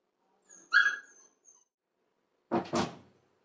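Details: Seven-week-old Labrador retriever puppy left alone for seven minutes indoors: a thin, high whining yelp, then after a pause a short, rough double bark.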